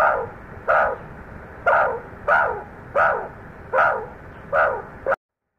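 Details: Meerkat babies exploring outside the burrow for the very first time, calling loudly: short harsh nasal squawks repeated roughly every 0.6 seconds, seven calls with a quiet hiss between them.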